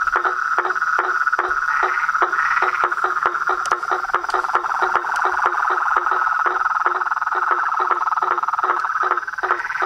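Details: Frogs, toads and treefrogs in full chorus, a loud sustained high trill with many rapid clicking croaks layered over it at a brisk, uneven pace.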